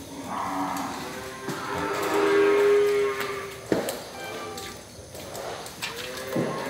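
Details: Breeding cows offered for sale: a steady, level lowing moo lasting about a second, preceded and followed by rougher shorter bellows, over background music and occasional knocks.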